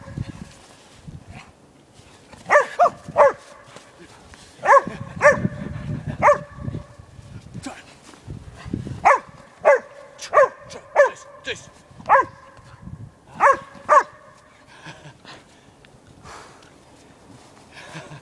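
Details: Playful female Podenco Canario chasing her owner in a snow-covered dog park in Stockholm, minus four degrees, giving about fourteen bright, abrupt barks in loose clusters, often in pairs, with soft crunching and some low background noise.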